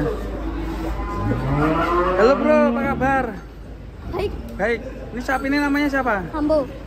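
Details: Cow getting off a truck for a contest gives a series of loud, arched, harmonic moos, a longer one followed by shorter repeated bellows, with people talking and vehicle noise in the background.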